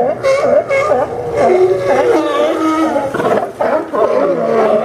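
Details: Sea lions barking at the Newport Sea Lion Docks, Port of Newport, Yaquina Bay, Oregon, on September 20, 2015; a dense overlapping chorus of harsh, harmonic barks and groaning calls from several animals with barely a pause.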